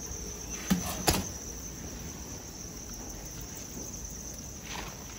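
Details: Crickets kept on a Hanoi farm in Vietnam: an even, high-pitched chirring drone runs on without pause. Two sharp knocks come near the start, along with a soft rustle near the end.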